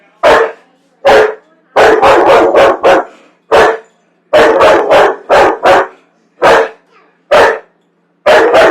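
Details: Dog that hates popcorn barks insistently on a Friday night: repeated loud, rough barks, some in quick flurries of four or five, others spaced about a second apart.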